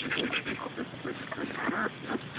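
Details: Hilda's ten-day-old white German Shepherd, Samoyed and Border Collie mix puppies giving short squeaky whines and soft grunts in a steady scatter, over constant rustling and faint human voices.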